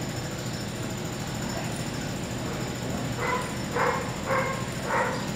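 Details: Cody, an eight-month-old sable male German Shepherd in protection dog training, is silent at first over a steady hum, then gives four short, sharp barks about half a second apart during the last two seconds.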